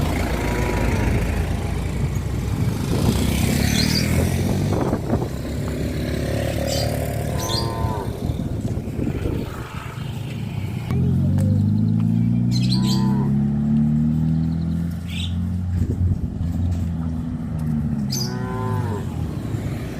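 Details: Tame cows roaming a highway near a traditional village farm, giving long, deep, droning moos with several low drawn-out calls in the second half, over steady traffic and motorcycle engine noise.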